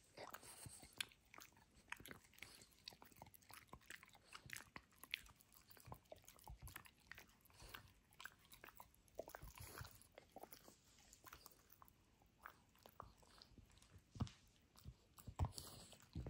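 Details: Gnawing sounds from Benedict, a Frenchie tearing apart his toy dinosaur for ASMR: a steady stream of sharp crunches and clicking bites, irregular but nearly continuous for sixteen seconds, with a few louder snaps.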